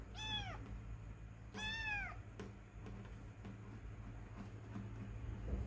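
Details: A domestic cat utters two bright, drawn-out meows that bend downward, one right after the other, followed by quiet room hum and faint clicks.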